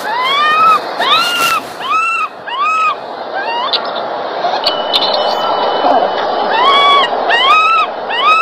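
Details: Baby monkey crying loudly while its mother grooms it: a series of arched, tonal wails, each rising then falling, repeated roughly once a second with short pauses between, over a steady background hiss.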